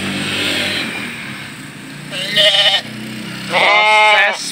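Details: Batur sheep, feeder stock being shipped to a partner farm, giving two loud, harmonic, wavering bleats about a second apart, with a vehicle hum and a man's voice in the background.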